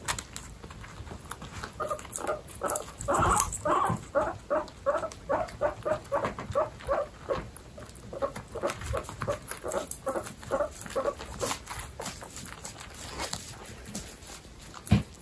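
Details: Indoor pet guinea pigs, babies together with pregnant females from a group of 29. A long run of short squeaks repeats more than twice a second, with rustling and light bumps behind.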